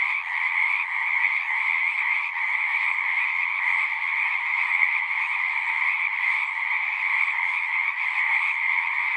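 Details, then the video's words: Many frogs calling together from a pond set in a horse pasture, recorded with a Zoom device; overlapping trills merge into a continuous shimmering drone with two strong pitch bands, holding even for the whole stretch. "Frogs singing"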